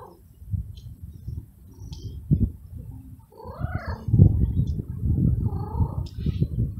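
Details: Very young male stray kitten living in a city garden, purring after eating and missing his mother; a low rumbling purr runs throughout, broken by an arched, rising-falling meow near four seconds and a flatter, drawn-out meow near five and a half seconds.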